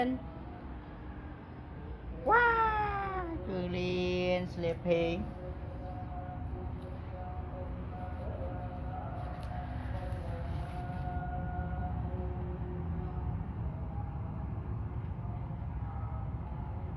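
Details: A cat meows loudly and clearly, a single drawn-out cry that bends downward with bright overtones, then a rougher, quieter follow-up sound; a constant low background murmur fills the rest of the recording.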